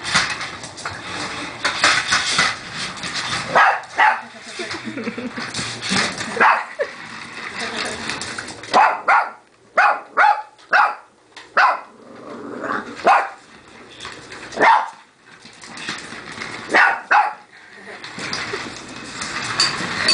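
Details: Puppy barking at a remote-controlled car: short, sharp barks in scattered bursts, some quick runs of two or three, with gaps between and human voices mixed in.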